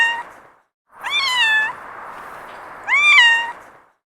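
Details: Domestic cat giving two drawn-out meows, offered as a cute sound effect; each mew rises quickly then levels and trails off, the pair separated by a pause filled with low background hiss.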